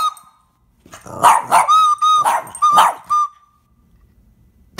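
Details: Boston Terrier, a pet dog, barking at a friend playing the flute: a burst of sharp, harsh barks over steady high flute notes, then quiet after about three seconds.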